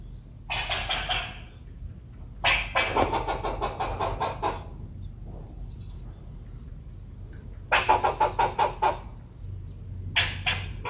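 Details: Squirrel giving loud bursts of fast, raspy, broadband chucks, four volleys of rapid repeated pulses separated by short pauses, with a faint low hum underneath.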